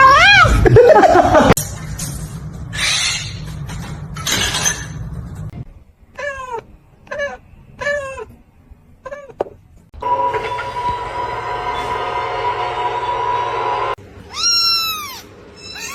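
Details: Domestic cats in a funny compilation, several short rising-falling meows between 6 and 9 seconds and a loud harmonic meow near the end, mixed with bursts of noise, a steady hum and people's voices and laughter.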